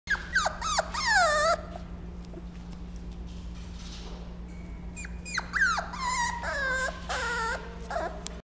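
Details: Male Dachshund whimpering: high, thin whines with falling then levelling tones, in a bout over the first second and a half and another from five seconds onward, above a steady low electrical hum.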